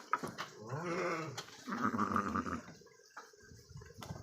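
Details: Three-year-old purebred Garut sheep, a big animal housed in a farm pen, gives two wavering, nasal bleats in quick succession, the second longer, with clatter and a human exclamation around them.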